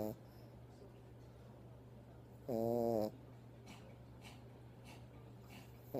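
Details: Pet dog asleep and snoring in its owner's arms indoors; one short, tonal, slightly whistling snore of about half a second stands out over a steady low hum, with faint clicks and rustles.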